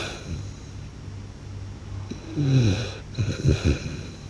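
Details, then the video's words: Snoring blue French Bulldog, quiet wheezy breathing giving way to a sliding, groaning snore and then a burst of choppy, snorting rattles near the end. "หมากรนลั่นสะท้านบ้าน/French Blue Dog Snores Loud"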